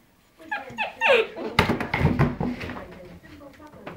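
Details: Weimaraner puppies indoors in a small room, giving short rising whimpers and yelps followed by a burst of barking and whining, with human speech mixed in.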